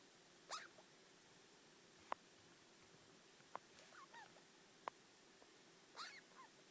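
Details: Soft grumbling from Yui, a four-year-old pet degu: short curling chirps in small bursts at the start, middle and end, broken by a few sharp dry clicks, over a low steady indoor hum.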